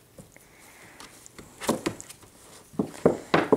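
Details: Indoor knocks, wooden thumps and soft footsteps sound in a small room as cocker spaniel puppies start to walk, with no clear animal voice.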